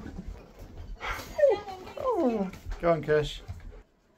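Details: Sherpa the husky, welcoming his best friend to his new home indoors, gives a run of three wavering, gliding whines that bend up and down in pitch, with people talking alongside.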